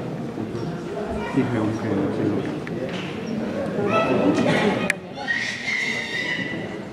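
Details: Haflinger mare La Martina at the mare inspection in St. Pölten on 8 May 2015, during presentation and free running; a high, harmonic whinny rises near the end over steady talking from people nearby, with faint hoof sounds.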